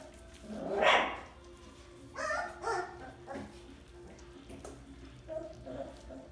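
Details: Bouvier des Flandres puppies from one litter giving a short high yelp near the start, followed by several fainter squeaks and whimpers spread across the remaining seconds.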